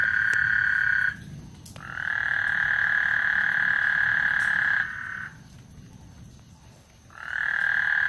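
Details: Lake Houston frogs calling ahead of a thunderstorm, sustained buzzy trills held for several seconds, broken by brief pauses, over a soft low background rumble.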